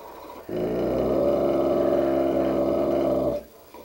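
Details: Dogue de Bordeaux growling at its own reflection in a mirror: one sustained, deep, rumbling growl of about three seconds, steady and harmonic-rich, beginning and ending abruptly.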